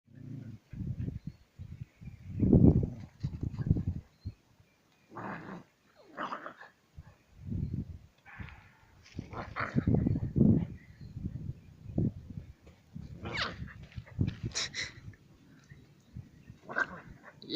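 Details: Two dogs, Pandey and Tiger, wrestle in rough play; low, throaty growls and snarls come in short bursts throughout, with brief higher yaps near the end.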